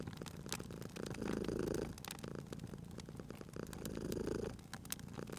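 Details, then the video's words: Cozy spring scene of a sleeping cat purring beside a crackling fireplace. Two clear, louder purring swells each last under a second amid a continuous soft rumble, with bright snaps and pops from the burning wood. "Cute Purring Cat at a Crackling Fireplace"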